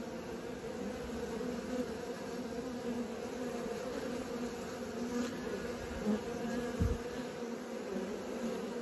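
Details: Continuous low buzzing from a group of honey bees learning to fly, an unbroken drone of many wingbeats with small rises and falls in loudness and a few soft knocks late on.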